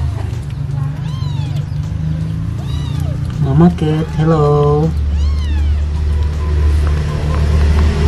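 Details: A four-day-old American Shorthair kitten dreaming in its sleep gives thin, high arched mews, several in a row, over a steady low hum and a brief human voice midway.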